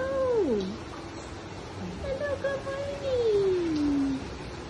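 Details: Giant otters at Los Angeles Zoo give tonal, whining calls that waver and slide downward in pitch while swimming in loops to greet their keeper in the morning.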